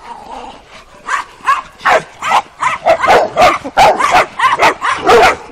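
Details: Kuvasz puppies of working type, 12 weeks old, on their first street walk on 28 April 2017; short, high, yappy barks repeated about every second, growing louder and more frequent.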